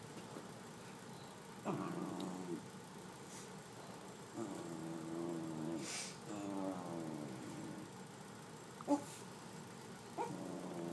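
A Pembroke Welsh Corgi gives drawn-out, wavering whines and grumbles in short bouts.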